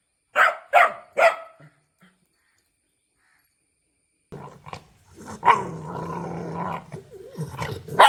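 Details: Puppy barking at the camera or an off-screen sound: three sharp, bright barks in quick succession, a short silence, then a rougher stretch of growly barks and snarling ending in another sharp bark.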